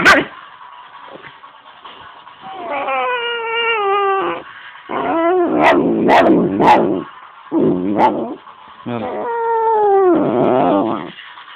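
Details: Pet dog angry while being played with, alternating long strained whining howls with sliding harmonics and harsh growly barks in bursts over about eleven seconds, a person's voice faintly mixed in.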